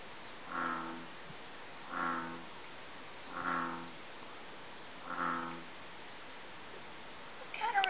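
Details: Deep croaking of a frog at the Villa park dam: four drawn-out, low, richly layered croaks spaced about every one and a half seconds, with quiet gaps between and a brief rustling noise at the very end.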